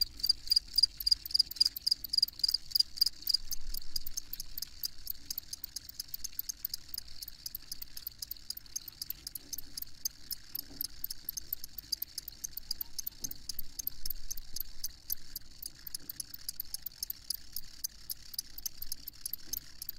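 Field crickets chirp steadily, a bright high trill repeated in rapid pulses with a low background rumble.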